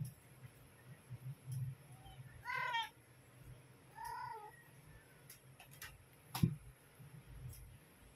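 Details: A domestic cat mother calls her kittens to feed them, giving two meows a second and a half apart, the first clear and quavering, the second softer and lower, followed by a sharp knock amid steady low rumble.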